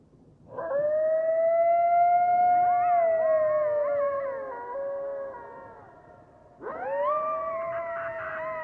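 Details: Coyote (Canis latrans), howl.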